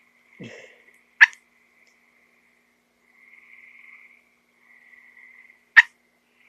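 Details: Small frog that got into a house, found with cats huddled around it: two sharp, loud clicking chirps about four and a half seconds apart over a faint, steady high hum, with a soft low rustle near the start.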